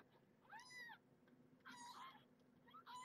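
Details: A fourteen-day-old kitten mews repeatedly during a weigh-in of the litter born to Marge, a rescued stray: three high, arching cries about a second apart, against a soft background hiss.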